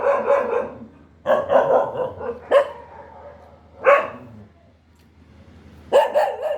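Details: Dog giving loud, rough barks: one long bark, a quick cluster of three, then single barks spaced a second or two apart. Brief quiet pauses between them.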